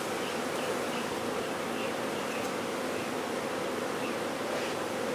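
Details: Massed honey bees in a swarm during removal, giving a constant, even drone of overlapping wingbeats with no pauses and a light airy hiss over the whole stretch.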